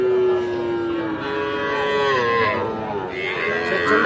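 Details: Sahiwal bull calves at the Aftabganj cattle market in Nawabganj, Dinajpur, Bangladesh, 8 October 2024. A long, loud lowing call slowly slides downward, followed by a shorter second moo, against a background of crowd murmur.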